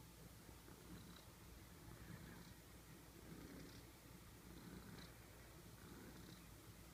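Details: A cute cat snoring while it sleeps, a soft low rumble with gentle breathy pulses roughly every second, very quiet overall.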